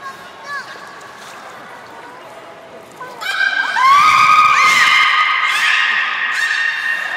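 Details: Beluga at Port of Nagoya Public Aquarium, 27 January 2019, during playtime after feeding: faint whistles at first, then loud sustained harmonic whistles with a rising sweep and overlapping tones, in a reverberant indoor hall.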